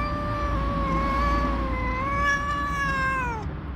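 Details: A tabby mother cat gives a long, steady, moaning yowl that dips at the end, angry at someone for touching her kittens.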